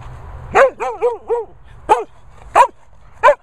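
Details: Barney, a Sprocker Spaniel, barks: one sharp bark, a quick run of three shorter yaps, then three single loud barks spaced about half a second apart, close and clear.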